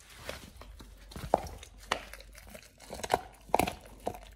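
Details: Oliang, a Pit Bull, gnawing a raw ostrich paw for the first time as a tooth-polishing, jaw-exercise snack indoors; sparse wet crunches and tearing bites spaced irregularly, with faint crinkling in a quiet room.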